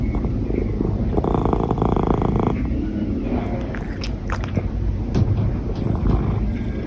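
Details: Hiccuping domestic cat giving a deep, steady rumbling purr, with a louder buzzy stretch early on and softer low murmuring afterwards.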